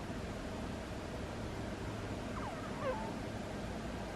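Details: Butters, a sleeping pet cat, lets out one brief, faint squeaky snore, a thin high squeak sliding up and down near the end, set against a steady low background hiss.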